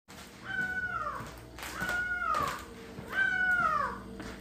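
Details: Domestic cat meowing indoors: three drawn-out, arched meows, each rising slightly then sliding down at the end, spaced about 1.3 seconds apart over faint room noise.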